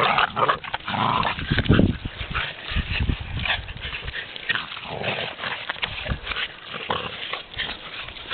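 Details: Boston Terriers outdoors at Mont-Cumming near Chibougamau, Quebec; short yelping and whimper-like calls in the first two seconds, then fainter, over steady rumbling wind noise and rustling.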